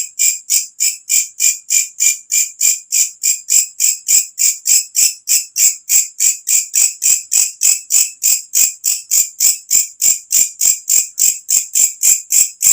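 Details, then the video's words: Night-calling katydid with a piercing voice, kept as a tutor sound for cage birds; sharp high rasping pulses follow at roughly three per second, evenly spaced and sustained throughout. "walang kecek masteran untuk semua jenis burung||suara asli alam"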